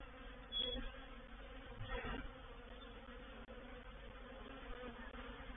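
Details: Reproductive swarm of honey bees entering a bait hive on 04/07/21. A continuous buzzing drone carries a louder burst near the start and another sweep of sound around two seconds in.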